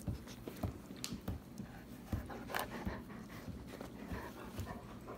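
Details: German Shepherds, a mother, father and puppy, playing together in the evening in a relaxed setting; quick rhythmic panting breaths with soft snorts and faint whimpering, recorded indoors.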